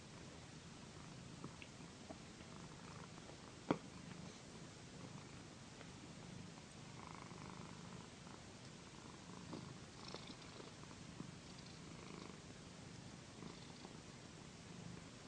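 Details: Domestic cat Paquita purring during a massage on a satin pillow; a soft continuous low purr beneath rustling of hands and fabric, with one brief click early on.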